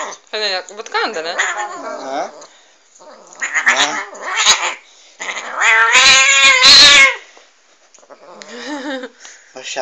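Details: Angry domestic cat, recorded on a phone, yowling in long wavering moans that rise and fall, several drawn-out howls with short pauses, one loud strained wail near the end; a person hushes and music follows.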